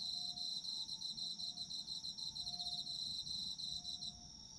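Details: A chorus of autumn insects: fast, continuous pulsed trilling layered on a constant shrill ringing, with soft lower tones beneath; the trill fades out in the last half second.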